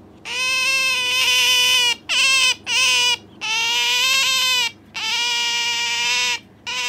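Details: Pet Asian small-clawed otter clinging to its owner and calling noisily indoors: long, loud, high whining squeals with rich harmonics, some slightly rising or wavering, in bursts of about half a second to two seconds separated by brief pauses.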